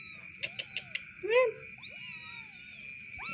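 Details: Black, a cat with a soot-dark head after coming out of a cave, gives a quick series of taps, a short rising-falling mew, then a longer gently falling meow and the start of another, over a constant high tone.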